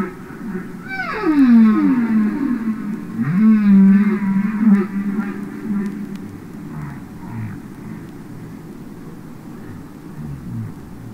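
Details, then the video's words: Humpback whale song recorded underwater: a falling moan sweeping down to a low steady tone, then a second wavering, pulsed moan, fading into quieter low calls with faint hiss behind. "Listen to Songs Of The Humpback Whale"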